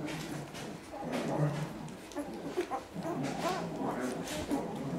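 Week-old Basset Hound puppies give soft, squeaky whimpers and mews, with human voices murmuring nearby.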